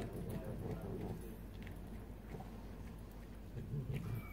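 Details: Indoor pet cat, female, chewing a chunk of stolen potato salad while uttering a low, rough rumbling growl that wavers in strength, with a few faint clicks of eating noise.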